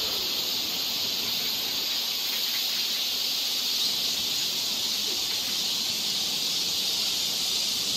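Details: Cicadas singing along a forest trail in Seoul, Korea, in summer: a steady, dense, hissing high-pitched drone that holds unbroken for the whole stretch, with no other clear sounds.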